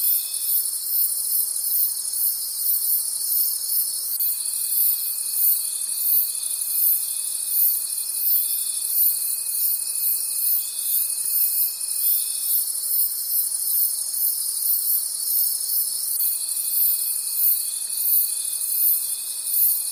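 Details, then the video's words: Forest crickets trilling together at night in a high, unbroken shimmer, with a thin steady tone starting and stopping several times over the chorus. "Cricket Conversations at Night"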